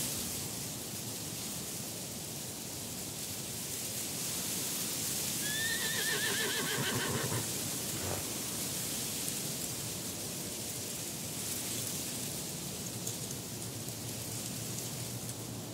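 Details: A wild horse in a mountain setting, possibly a black horse walking and running past, gives a single quavering whinny over a steady rush of breeze.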